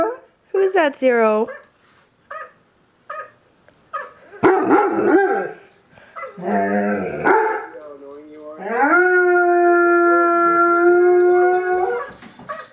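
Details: Dobermann howling in response to a recording of a dog crying, a bichon–shih tzu cross also joining; short yips and voice-like bursts, then a long level drawn-out howl lasting about three seconds near the end.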